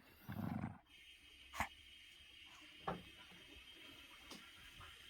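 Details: Poodle Sinbori plays with a beloved stuffed doll at home. A low, rumbling growl lasts about half a second near the start. Sharp clicks and tugging noises recur roughly every second and a half afterward.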